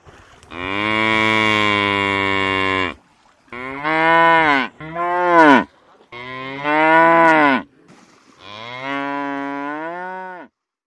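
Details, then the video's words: Buffalo calling; five long, loud, harmonic-rich bellowing moos, each lasting one to two and a half seconds, some with slightly rising or falling pitch, separated by short silences. "Buffalo | Buffalos | Buffalo Video | Baby Buffalo"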